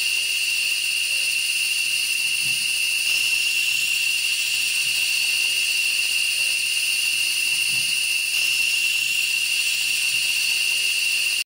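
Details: Periodical cicadas, hundreds lining tree trunks and branches after emerging from the ground, feeding and seeking brood mates; an unbroken, loud droning chorus with a steady strong tone and dense hiss above, holding level throughout.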